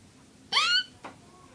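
A Malayan tapir lets out a single thin, piercing squeal, rich and whistled, rising a little over a third of a second. A faint knock follows in an otherwise quiet indoor setting.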